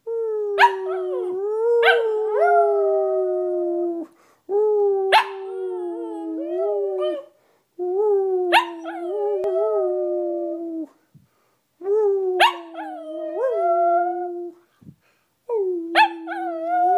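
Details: Pet dog howling again on a half-moon night: long, steady, tonal howls of about three seconds each, slightly wavering and rising at the ends, repeated in five phrases separated by short silent breaths.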